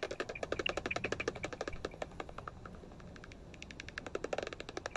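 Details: Common pipistrelle foraging overhead just after sunset on a night walk, its echolocation picked up around 46 on a bat detector, heard as rapid dry clicks like blowing raspberries.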